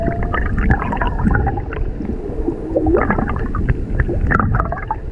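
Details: Humpback whales off Maui, with a mother and calf seen underwater during a whale watch, singing: low moaning notes and short rising whoops beneath steady gurgling, bubbling water noise.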